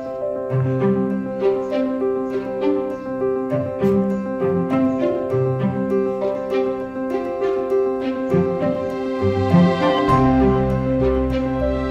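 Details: Only instrumental music is heard: plucked and bowed string notes over a steady low bass, with no animal sounds.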